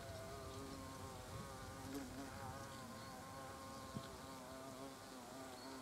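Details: Buzzing of European hornets around the entrance of their nest: overlapping low humming wingbeats with shifting, wobbling pitch, a steady drone throughout and a brief click near four seconds.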